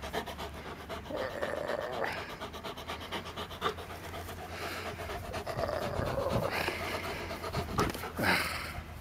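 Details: Labrador retriever playing with a red frisbee, recorded on a Panasonic Lumix TZ7 camera: quick rhythmic panting breaths, with a man speaking to the dog before and after and some handling noise.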